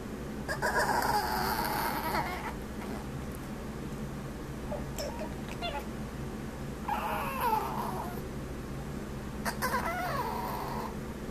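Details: A male Chihuahua named Sammy makes funny noises: three separate bursts of high, warbling whines spread over eleven seconds, set against a constant fan drone and a rainy day.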